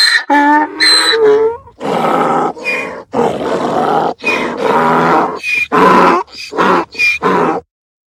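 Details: Braying donkey, a sound of anger or fear: a few short, high harmonic squeals followed by a series of loud, rough, breathy honks alternating in and out, ending abruptly.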